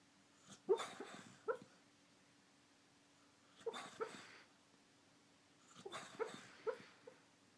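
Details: A dreaming dog makes funny noises in its sleep: three bursts of breathy huffs, each mixed with short, thin whimpering squeaks, recurring about every three seconds over a quiet room with a low constant hum.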